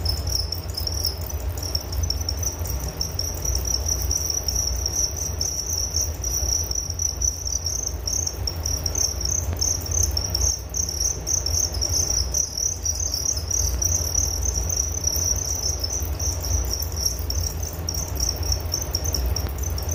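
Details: Crickets chirping as a relaxing nature sound for sleep: a dense, high, even trill of rapid pulses runs without a break for the full stretch, over a steady low rumble.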